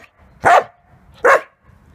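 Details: Two sharp barks about 0.8 seconds apart from a 7.5-month-old Samoyed barking to get someone to play with him, with a person's voice faintly heard before.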